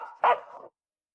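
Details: Pet dog in a home, in a funny dog-moments compilation, gives one short, sharp mid-pitched bark after faint background sound, then the recording falls silent.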